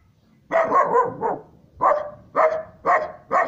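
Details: Three-month-old Siberian Husky pup barking because it does not know the person; a quick double-bark cluster, then four evenly spaced sharp barks.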